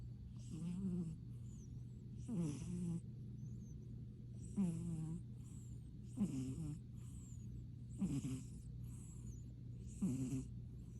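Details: Kitten in deep sleep after a hard day of playtime with his brother and family, snoring in slow, rasping breaths roughly every two seconds, six snores over a steady low hum.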